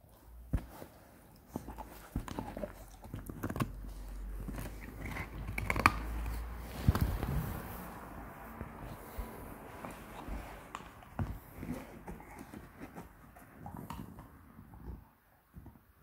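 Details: Seven-month-old beagle puppy gnawing a pig bone indoors: irregular gritty crunches and bites, roughly one per second, with low thumps and scraping as the bone shifts.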